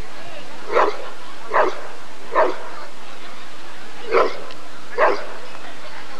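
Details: Rottweiler at the 1994 ADRK Körung breed survey, giving five loud, full barks: three in steady succession under a second apart, a short pause, then two more, with a faint steady hum underneath.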